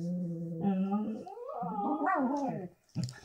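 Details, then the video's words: Two pups, Stewie and Gracie, lazing in bed on a Sunday morning and chatting with steady moaning tones that rise into wavering, whiny yodels, then break off briefly before a short final grumble. "Pups, Chatting in Bed"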